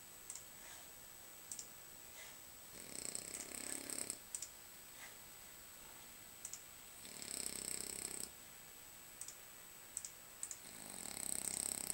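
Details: Lucas, a sleeping French Bulldog, snores softly: three breathy, rasping bursts roughly four seconds apart, with faint scattered clicks in the quiet gaps of a still indoor room.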